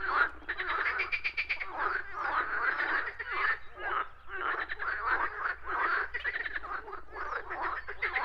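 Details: Frogs calling in a natural setting, a dense overlapping chorus of rapid rattling croaks pulsing in bursts, with brief dips between phrases and a steady low hum underneath.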